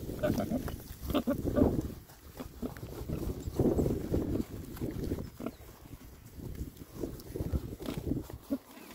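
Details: Oxford Sandy and Black pigs, a rare breed, six boys foraging contentedly in winter between storms; bursts of resonant grunts with faint tonal squeals at the start, then softer rumbling snorts and rustling.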